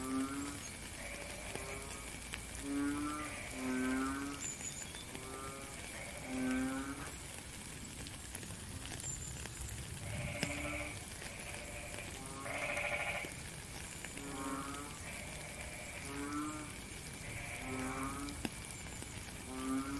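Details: Frogs calling amid falling rain, giving repeated short buzzy honks in an uneven rhythm about sixteen a minute, with a few brighter, higher bursts among them and steady rain hiss throughout.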